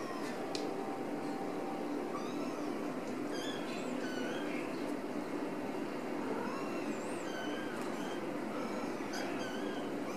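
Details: Ragdoll kittens from a home cattery in central Kansas, raised without cages: thin, high mews scattered through the stretch, several overlapping and wavering in pitch, over a steady background hiss.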